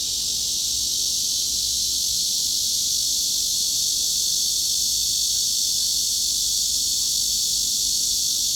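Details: A cicada's steady, high, hissing buzz drones on without a break, in the mid-frequency range of about 3.6–4.2 kHz.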